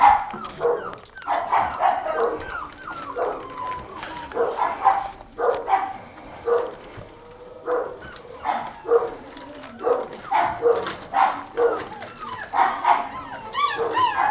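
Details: Several six-week-old Old Tyme Bulldog puppies, recently weaned from their mother; a long run of short, pitched yips and whines from multiple pups, overlapping and repeated roughly every half second to second throughout.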